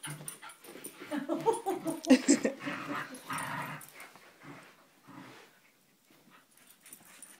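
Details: Puppies Milo and Harley at tug-of-war indoors: a run of loud, harmonic growling and yelpy whines through the first three seconds, followed by quieter scuffles and near silence toward the end.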